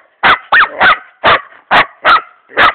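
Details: Laika hunting dogs working a wild boar in a forest: loud, sharp barks repeated about every third of a second, seven in quick succession, while a man urges them on with shouted commands.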